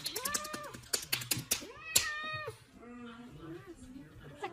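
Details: Domestic cat giving drawn-out, arched meows that rise then fall, one early and one near the middle, over clicking beats of music and a woman talking to the cat about biting.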